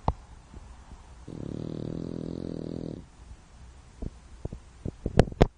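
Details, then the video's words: French Bulldog fast asleep indoors, snoring: one long, low, rattling rumble lasting nearly two seconds between quieter breaths, followed by several sharp clicks and taps. "Bulldog Francês roncando"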